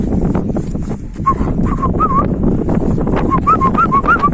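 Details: Kangal dogs, males trying to win over a female: thin, wavering high whines start after a second and return in a quick series of short rising-and-falling whimpers near the end, over rustling and low outdoor rumble.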